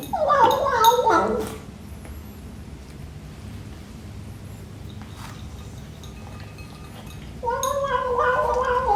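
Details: A 12-week-old British Shorthair kitten calls during breakfast: a short wavering mew at the start, then a long, steady, harmonic mew near the end, with a quiet stretch and faint clicks between them.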